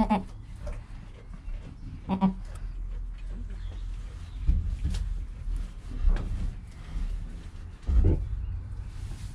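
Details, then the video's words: Newborn goat kid Joel, within his first hour of life, with his calm mother Penny nearby, captured on a GoPro; a few short harmonic bleats come at the start, near two seconds and near eight seconds, amid low rustling and movement. "4K Baby Goat - One Hour Sound and Video"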